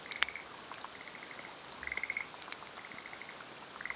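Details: Male forest green tree frog perched on a branch waiting for a female, in the mountains of Hofu, Yamaguchi, Japan, on the morning of 28 May 2011; rapid pulsed rattling trills in short bursts under a second, with a few sharp clicks.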